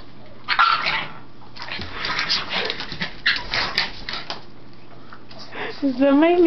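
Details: Pug trying to reach his brother's chew, scratching and vocalising indoors: short grunts and barks, then a wavering, high whine at the end, with a woman talking over it.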